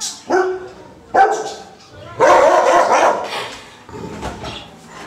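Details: Caucasian Shepherd dog barking fiercely: loud, harsh, broad barks at irregular intervals, a short one, another about a second later, then a longer rough bark and a weaker final burst.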